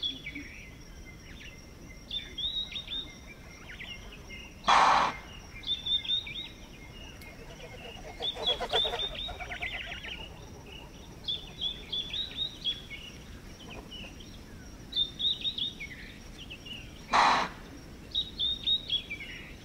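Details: Alarm chuffs of impala (Aepyceros melampus) reacting to a predator in Manyeleti Game Reserve, South Africa. Two explosive snorts sound roughly twelve seconds apart, with a softer rushing burst between them. Busy bird chirps and twitters run throughout.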